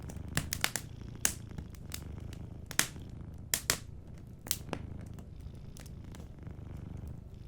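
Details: Cat sleeping near a fireplace, its quiet low purr running underneath frequent loud snaps and pops of the burning fire.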